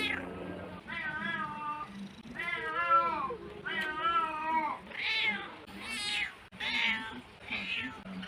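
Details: Domestic cat with drawn-out, wavering meows, the early calls long and low, the later ones shorter and higher-pitched, over a low background hum.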